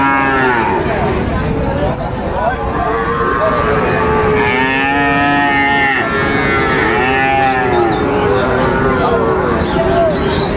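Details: Sahiwal bull calves at Raniganj market in Dinajpur, lowing in long drawn moos with bending harmonic tones, several overlapping over about ten seconds, amid a busy crowd of voices and market bustle.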